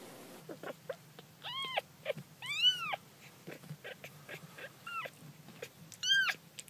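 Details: Baby cats playing utter short high mews and a few longer arched meows, scattered among soft clicks and scuffling taps.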